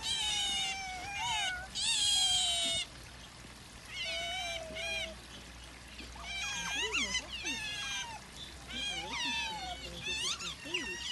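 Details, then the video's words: Several otters, seen on Saturday 24 February, chattering in a busy series of high squeals and chirps, short rising and falling notes bunched together, with a brief burst of hissing noise early on. "cute otters making noises"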